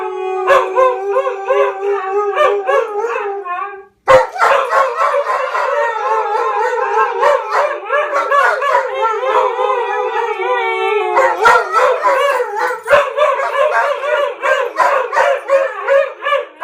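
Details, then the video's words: A German Shepherd starts howling and two huskies join in; long wavering harmonic howls, first a single steady voice, then several overlapping, rising and falling voices in a loud group chorus. "Howling good time!"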